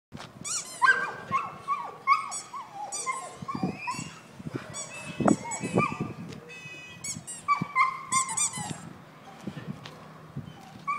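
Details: Kerry Blue Terrier giving a busy run of high, harmonic yelps and whines that slide downward, some sharp barks mixed in, sounding in quick irregular bursts throughout.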